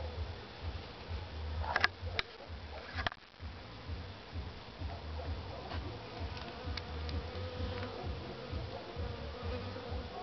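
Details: Western honey bees of a queenless colony at a spring inspection fill the air with a steady, low, droning hum from the open hive; the keeper judged the queen missing from their movement at the entrance and found no brood or queen.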